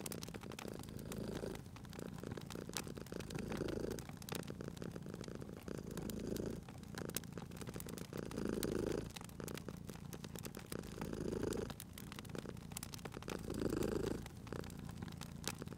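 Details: A sleeping domestic cat purrs beside a crackling fireplace, its low rumbling purr swelling with each breath roughly every two to three seconds, beneath constant sharp pops and snaps of burning wood.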